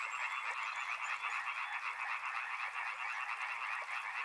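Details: Numerous frogs calling together at a river, their croaks blending into a constant throbbing rattle with no single voice standing out.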